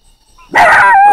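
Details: A puppy barks at the sound of a frog outdoors, giving a sudden, loud, tonal bark that rings on briefly after a quiet start.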